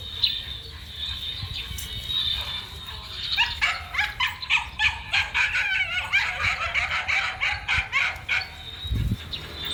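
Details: Running male dog: after a few seconds of a thin steady buzz, rapid excited yapping begins, with short high barks tumbling out several per second, and a low thump near the end.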